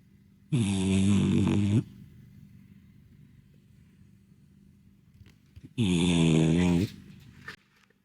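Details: Napping French Bulldog, a mellow, slow-moving flat-nosed dog sunbathing, snores as loudly as a man: two deep, rasping, buzzy snores over a second each, about five seconds apart, with quiet breathing between.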